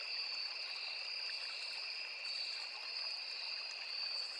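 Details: Crickets trill in a steady, high-pitched chorus over the soft rush of a small flowing river in a forest.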